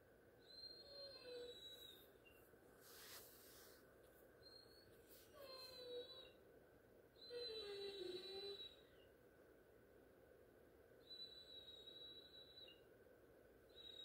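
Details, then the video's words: Great Dane crying for attention before going to bed: thin, high whimpers, then a drawn-out falling whine near the eighth second, over a steady room hum with faint squeaky tones. "Great dane cries for attention"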